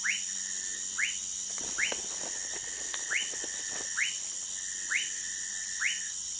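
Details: Sphaenorhynchus lacteus, the Orinoco lime tree frog, recorded at Manaus in Brazil's Amazonas: brief upswept whistles spaced roughly a second apart, a burst of scraping clicks early on, and a constant shrill insect hum behind.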